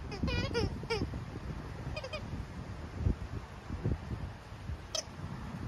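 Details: German Shepherd named Naomi at Dog n Kitty City, a no-kill shelter in Dallas, Texas: a quick run of high, wavering whines in the first second, a fainter pair near two seconds, then low rumbling background and a sharp click.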